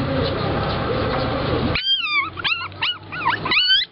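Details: Little puppies at a roadside dog shop in Nakhon Pathom, Thailand, waiting to be bought: after a burst of loud mixed noise, several thin, high whining yelps that rise and fall, overlapping in quick succession.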